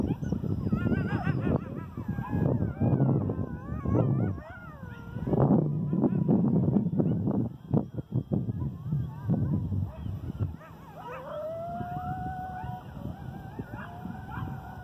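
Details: Coyote howling, recorded 8/11/2018: wavering high yips and quavering howls rising and falling over rough low noise, ending with a long clear sliding wail.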